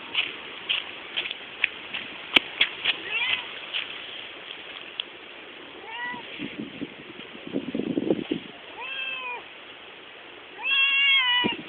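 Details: Domestic pet cat leading its owners some distance, calling with a rapid series of short meows late in the recording, the last one longer and louder, after earlier sharp taps, rustling and a brief low human voice.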